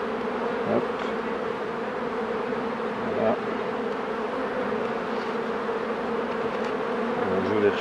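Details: Honey bees humming steadily at a hive while a beekeeper works the colonies, a continuous low drone with a strong even tone throughout and a few faint handling knocks.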